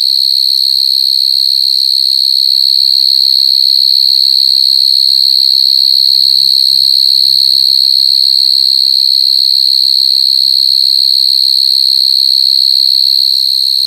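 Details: Coconut crickets produce an intense, unbroken high-pitched whistling trill for the whole stretch, steady and loud. Soft, muffled low sounds and faint voices murmur in the background partway through.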